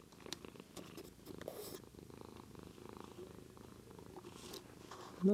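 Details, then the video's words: Purring from a white pet cat indoors, captured on a Lumix GH2; a continuous low, pulsing rumble with faint rustling and a short louder bump at the very end. "Our Cat Daisy Purring"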